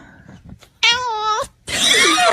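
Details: Pet cat 'talking' indoors: one clear, wavering meow lasting over half a second, then a burst of breathy, noisy sound. Faint low background rumble throughout.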